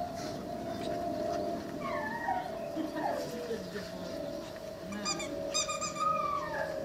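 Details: Cane Corso bitch aged five to six months holding a long, steady mid-pitched howl through the whole stretch, with short higher whining slides layered over it and light background noise.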